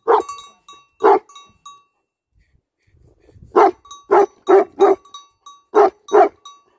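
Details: Deep, resonant barks from livestock guardian dogs: two isolated barks, a silent gap of nearly two seconds, then a run of four rapid barks followed by a final pair.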